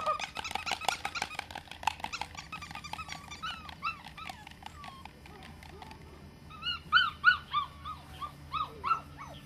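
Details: Young female Australian Shepherd pups, seven weeks old, heard first under loud clattering and rustling; then, in the last few seconds, a run of short rising-and-falling puppy yelps, a human voice calling them.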